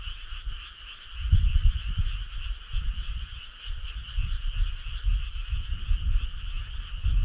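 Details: Many frogs calling together on a summer night by a country road: a continuous buzzing trill at two stacked pitches, partly covered by heavy, gusty low rumble that surges from about the first second onward.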